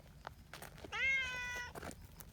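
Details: Community cat meowing as a signal that quickly gathers a friendly trio of cuddly cats onto a bench: one clear, drawn-out, slightly rising harmonic meow lasting under a second, with faint rustling and soft background noise around it.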